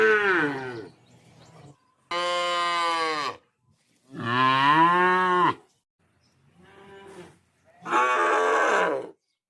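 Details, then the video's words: Cow mooing repeatedly in a village: four loud harmonic moos of one to one and a half seconds each, some arching slightly, with quieter rough calls between them. "Sounds of Cow in Our Village।। Cow Sounds Mooing"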